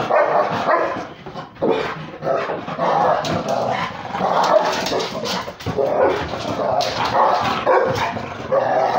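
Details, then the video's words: Beagle crossed with Basset Hound at play with a pitbull: a nearly continuous stream of throaty growls and gruff barks over nine seconds, dipping briefly near the second and fifth seconds, with scuffling clicks in between. "Beagle (Basset Hound mix) playing with the pitbull"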